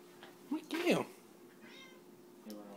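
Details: Pet cat indoors talking to a moth: a short bent meow that rises then falls, about half a second long, with a brief chirp just before it, over low room hum and a few quiet background noises.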